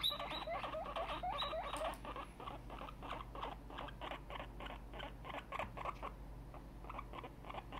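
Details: Tiny, an excited pet guinea pig, opens with a run of wavering, high harmonic squeals, then settles into a fast series of short repeated squeaks in a small room.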